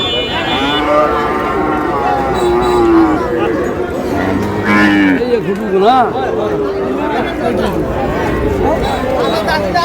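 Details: Sahiwal bull calves for sale at a cattle market, bought by a Comilla farmer on 24 May: long wavering moos, then a sharp rising-falling bellow near the middle, with bargaining voices and market bustle around.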